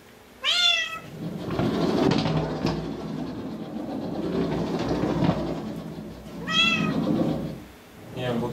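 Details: Six-month-old Bengal kitten Lola trying out her new cat wheel indoors; two clear descending meows with rich harmonics, one near the start and one after six seconds, over rumbling wheel noise and human voices.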